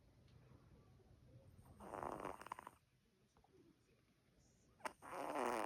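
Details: Albino Bichon Frise puppy snoring while asleep, two soft breathy rasping snores a few seconds apart with quiet pauses between them.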